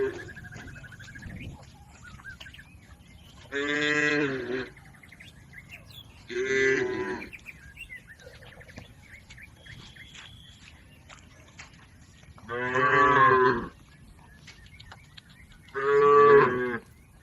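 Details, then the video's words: Healthy village cattle, a herd grazing in a green field, give four separate moos spaced several seconds apart, each about a second long and richly harmonic, with quiet field background and a faint bird chirp between calls. "Suara sapi Moo"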